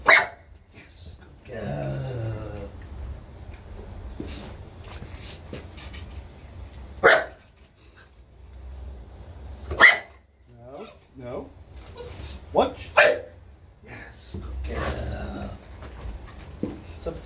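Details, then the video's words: Female olde English bulldogge barking on command during a training session: short, loud single barks a few seconds apart, between a person's spoken commands such as "watch" and praise. "Bark on command training with my olde english bulldogge"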